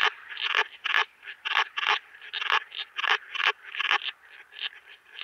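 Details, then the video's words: Tessellana veyseli, Veysel's slender bush-cricket, recorded 13 July 2020 at Winden am See, Austria: dry rasping pulses in a quick, slightly irregular series, about two to three per second, alternating louder and softer chirps. "Tessellana veyseli -- Kleine Beißschrecke -- Veysel's Slender Bush-cricket"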